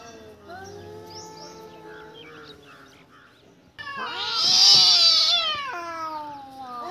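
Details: Domestic cat that has caught a mouse, giving faint drawn-out wavering tones at first, then from about four seconds a loud, harmonic-rich caterwaul that swells and bends in pitch before tapering off.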